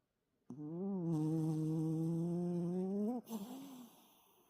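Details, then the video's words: Toy poodle named Toto snoring heavily in deep sleep after coming in from lively play; one long, loud, tonal snore of about two and a half seconds with steady low pitch rising slightly at the end, then a short fading snort. "토이푸들- 코골이가 심한 귀여운 강아지 토토"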